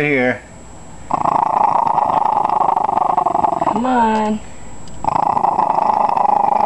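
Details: Small pet dog growling indoors, unwilling to give up its bone as people try to take it away, later catching a leg in a lamp cord; long pulsed rasping growls with short whiny tones between, and a person's voice at the start.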